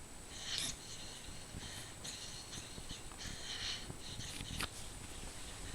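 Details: Maya, a pet dog worn out and sound asleep, snoring loudly indoors: soft, hissing, wheezy breaths with brief rasping bursts arriving about once a second over a low, steady background hum.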